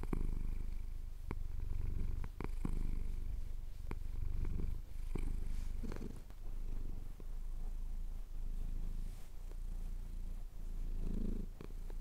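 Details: Pet cat purring while having his chin scratched, recorded on a Tascam DR-07X at sunrise over the Cotswold hills: a steady low rumbling purr in rhythmic pulses of breath, with small clicks and rustles throughout.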